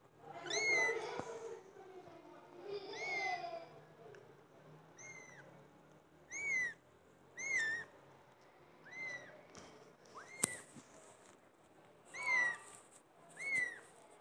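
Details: Cats meowing loudly indoors: about eight separate meows spread over fourteen seconds, each bent and wavering, some short and some drawn out, with a sharp click near the middle and a quiet room hush between calls.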